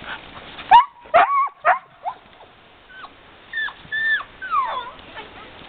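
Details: Excited sled dogs having fun: loud, sharp yips in quick bursts, about two a second, then thinner rising and falling whines and squeals overlapping near the end, against a quiet background.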